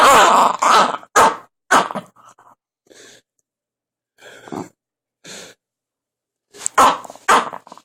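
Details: Strange noises from Biscotti the Jack Russell Terrier: harsh wheezy snorts come in quick bursts at first, then a few soft faint grunts, and the loud raspy snorting returns at the close.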